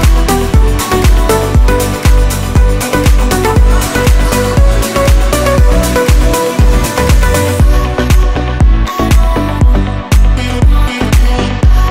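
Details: Loud, steady electronic dance music with a pounding beat about once per second and dense layered synths throughout; no animal voice is heard.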